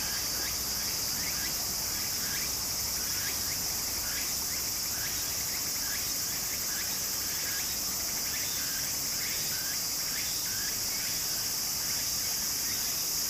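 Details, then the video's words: Cicadas singing in summer beside a stream in Japan: a dense, steady high-pitched buzz overlaid with rising, scraping strokes repeated roughly every second, over a soft background wash. "小川の流れと蝉の声 自然音 ～夏～ Japan Sound of nature Cicada's voice"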